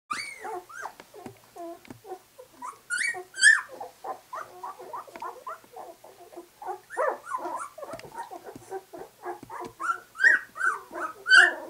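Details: Two-week-old White English Cream Golden Retriever puppies just opening their eyes, a litter producing a busy overlapping chorus of short squeaks, whines and grunts, with a few higher, louder squeals near the end.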